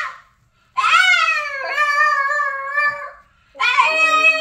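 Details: An exceptionally vocal male Boston Terrier 'sings' with drawn-out, tuneful howls that waver and slide in pitch.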